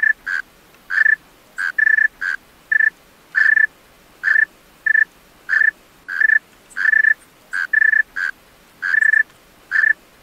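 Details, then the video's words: Night song of a male tree cricket: around twenty clear, tonal chirp bursts at a constant high pitch, short and sometimes paired, coming roughly twice a second with uneven gaps. No other sounds. "Male Tree Cricket Singing Songs-Tree Cricket Sounds-Tree Cricket Call - Tree Cricket Sounds at Night"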